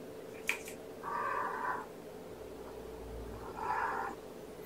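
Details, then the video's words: Meows from young foster kittens of Gamora's Infinity Kittens litter, born April 14th, during breakfast on 2018-05-07 indoors: two drawn-out, flat, even-pitched mews about two seconds apart, over a steady background hum. "Guardian Kittens - Breakfast"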